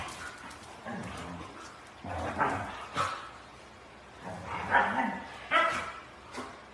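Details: Siberian Husky kept as a house pet, giving loud, hoarse barking and yipping vocal bursts, about six over seven seconds, some long and drawn-out, others short and sharp, with a low background murmur.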